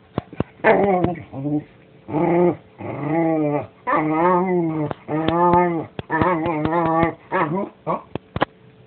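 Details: A dog vocalizes almost nonstop in harmonic, moaning barks and whines, each half a second to a second long, some wavering in pitch, broken by sharp clicks and brief gaps, in a close, quiet setting.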